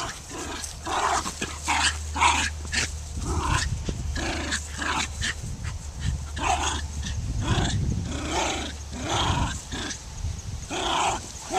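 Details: Dogs barking repeatedly in quick irregular bursts, overlapping with heavy low rumbling noise and a steady background hum.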